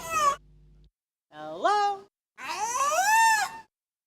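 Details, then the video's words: A killer whale answers a trainer's spoken "hello" several times with its own harmonic, nasal attempt at the word; said to be a killer whale mimicking human speech, possibly answering an instructor named Amy. "the first sound you're going to hear is the trainer saying hello and you will hear the killer whale saying hello in response and you hear that a few times okay"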